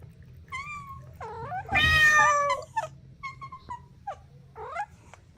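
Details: Playful kittens on grass give short, high meows, several with bending, wavering pitch, one louder drawn-out call in the middle, and a steady low hum beneath.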